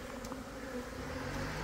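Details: Brief steady buzzing from a swarm of Italian honey bees that left a backyard hive in southeast Texas and settled on a branch, with a faint click or two.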